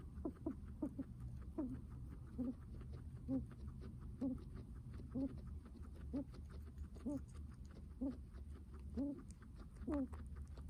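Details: Guinea pig heavy breathing, soft nasal squeaks and wheezes recurring at an even pace of about one per second against a low, rumbling background.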